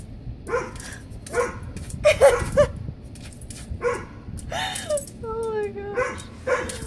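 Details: Dog barking and yipping at a centipede it has attacked, short sharp bursts repeated at irregular intervals with a drawn-out whine near the end, while people talk and exclaim in disgust throughout.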